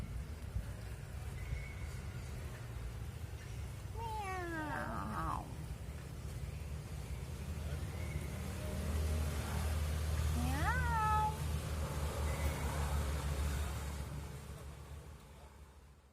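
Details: Cat meowing to ask to play: two long wavering meows several seconds apart, the second rising then falling, over steady low background rumble.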